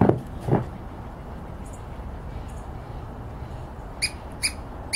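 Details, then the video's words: A Douglas squirrel in dense conifers, apparently alarmed but not by the nearby person filming, gives a few sharp, high chirps after some low thumps. "Douglas squirrel making noise"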